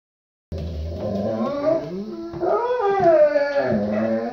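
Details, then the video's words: Golden Retriever named Bo "talking" to say it is potty time: a drawn-out, harmonic howl-whine that wavers up and down, swelling louder toward the end, with several pitch bends in a continuous vocal stream. "GOLDEN RETRIEVER DOG HAS TO GO POTTY! TALKING DOG!"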